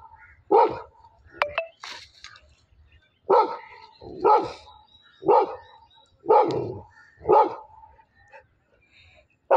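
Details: Labrador Retriever fighting with a buffalo: loud, sharp single barks at roughly one-second intervals, seven in a row, with short gaps of quiet between them and brief human exclamations in the background.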